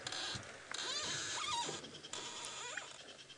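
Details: In Djuma Game Reserve, Sabi Sand, South Africa, on a late-afternoon drive in February, a squirrel gives a harsh, chattering alarm in quick bursts, likely at a nearby common buzzard, mixed with short rising whistled notes over hissing bush noise.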